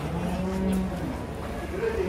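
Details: Huge cattle arriving by truck at Jelok market in Indonesia; a low, level moo runs through the first second, followed by a higher short call near the end amid voices and market noise.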